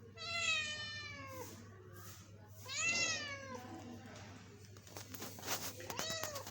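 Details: Kitten about two months old meowing loudly: two long, falling, harmonic-rich meows around a second apart at the start, then quieter rustling and faint clicks with softer meow-like sounds near the end.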